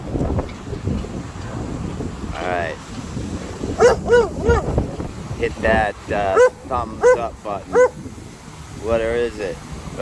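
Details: White German Shepherd barking at the wind on a day of strong Santa Ana winds in Southern California: bursts of short, harmonic barks, often in pairs and triples, with wind rumble and a man talking between them.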